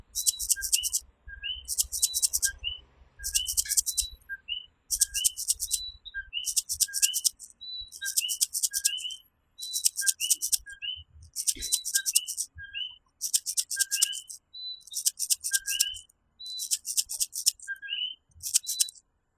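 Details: Nighttime chorus in Puerto Rico where coquí frogs give their rising two-note calls. Strong pulsed high-pitched insect buzzes come roughly every second and a half and sit over the frog voices, and the background is otherwise quiet.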